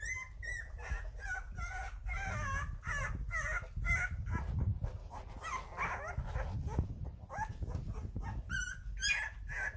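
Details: Rhodesian Ridgeback puppies, eleven days old, making their first wobbly attempts at walking. There is a constant chorus of thin, squeaky whimpers and peeps, over heavy low rumbling and handling noise.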